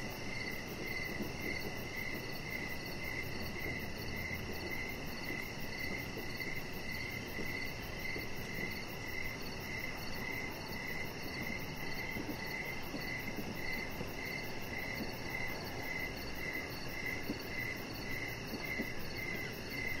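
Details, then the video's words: Evening cricket chorus beside a deck with a chihuahua puppy, Rocket, resting nearby; rapid high chirps run continuously through the whole stretch, with a second faint tone above, over broadband low outdoor hum. "3 Hours Of Chihuahua Puppy Laying On Deck with Cricket Sounds"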